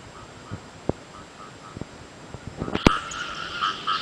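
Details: Frogs call with short, buzzy mid-pitched croaks during early-season rain in Cambodia, over the patter and drips of falling rain.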